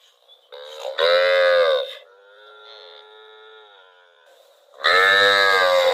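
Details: In rural rice fields a cow gives a full moo, then a long, thin, sustained lowing tone, and ends with another loud, rich moo.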